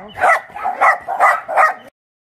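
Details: At Mindeulle Shelter, an abandoned-dog shelter in Yangsan, a run of four or five hoarse barks comes in quick succession, then stops abruptly into silence.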